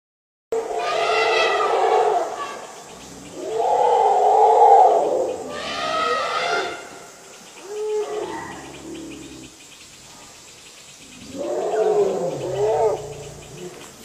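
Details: Two wild Asian elephant (Elephas maximus) herds meet at a reservoir in Phu Khieo Wildlife Sanctuary, Thailand, on 3 March 2019 around 17:47, giving loud, brassy roars and trumpets in repeated bursts, thought to be competing for territory.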